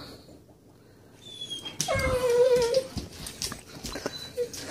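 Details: Great Dane inside a home whining to be taken outside to play; after a quiet start, one sustained, slightly wavering high whine, followed by a brief faint squeak and household shuffling.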